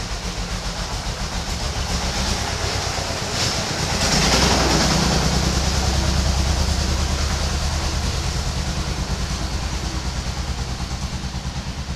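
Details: A train rumbles past with steady clickety-clack of wheels on rails and a low engine drone; no animal voice stands out.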